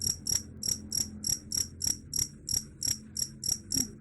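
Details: Cricket calls, said to scare off rats, as sharp high-pitched chirps pulsing roughly three times per second at an even pace, with a soft low rumble underneath.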